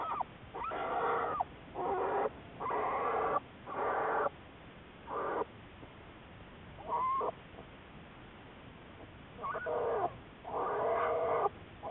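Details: Recorded March 1, 2014, black bear Juliet from the Wildlife Research Institute research: loud, rough, pulsing bursts of about a second, repeated roughly once a second in runs with pauses, over steady background hiss.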